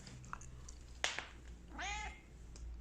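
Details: A Bengal cat just awake from a nap gives a short, clear meow that rises slightly and then falls away.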